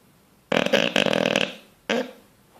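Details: Bulldog fast asleep and dreaming, twitching in its sleep, gives one loud, rattling, rasping snore of about a second, followed by a brief shorter snort, in a quiet indoor room.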